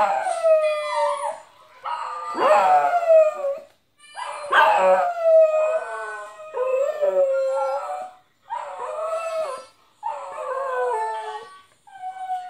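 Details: Domestic dog 'singing', howling along to a playback of his own howl with a mouth organ; a series of drawn-out, wavering howls roughly every two seconds, each sliding downward, separated by short breaths.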